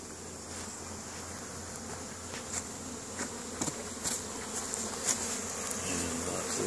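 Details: Busy honey bee hive in spring, Caribou, Nova Scotia, Canada, May 10, 2015, with foragers hauling pollen in; a thick, even buzz of many bees, with frequent brief crackling taps as individuals fly close past.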